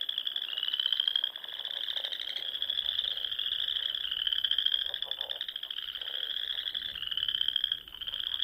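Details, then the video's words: Frogs in spring in Nebraska's Sandhills at dusk, a steady wall of shrill, trilling song pulsing gently, with soft lower croaks woven through the unbroken chorus. "RELAXING SOUNDS OF FROGS"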